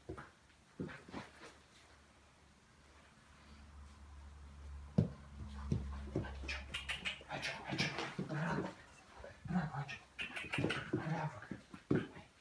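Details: Chocolate Labrador at play time during sound desensitization. Mostly quiet for the first five seconds, then dense scuffling, clicking and whimpering play sounds with soft panting and occasional human voices.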